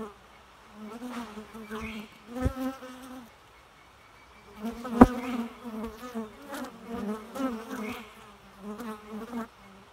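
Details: Bees buzz in bursts lasting one to two seconds, separated by short quiet gaps, the humming tone wavering as they pass; a sharp click sounds midway.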